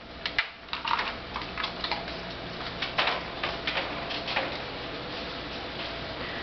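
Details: Indoors, irregular light clicking and tapping sounds over a low steady background hum, with no animal calls.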